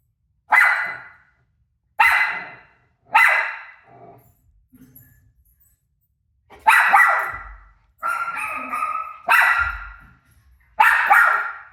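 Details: Dog barking at a recording of itself barking on television: three single sharp barks a second apart, a pause with a low grumble, then a faster run of five ringing barks.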